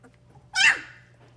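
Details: Labrador Retriever puppies at play give one short, sharp, high yelp with bright harmonics. It rises suddenly and fades within a third of a second. A low steady electrical hum runs underneath.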